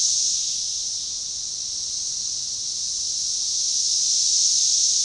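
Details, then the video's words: Dense high-pitched buzzing drone from massed Magicicada tredecassini cicadas chorusing in synchrony near DeValls Bluff, Arkansas, June 7, 2015, forest edge; level sags gently mid-way before rising again. "Magicicada tredecassini organized chorus"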